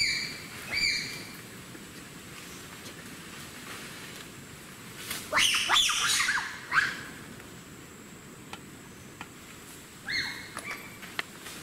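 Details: Bonobos in the wild in Africa call in alarm after encountering wild boars, climbing trees to escape. Short piercing shrieks open the passage, then a louder run of sharp, harmonic squeals comes midway, with a few more calls near the end.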